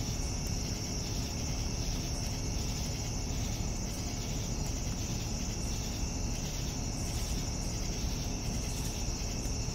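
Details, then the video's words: A continuous high cricket trill in the evening, level and unchanging for about ten seconds, with dense low-pitched background noise beneath it. "Evening Cricket Sounds"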